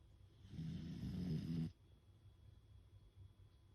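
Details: Fukuko, a beagle, snoring in deep sleep with half-open, white-rolled eyes after a day of lots of play: one low, rattling snore of about a second, followed by quiet breathing.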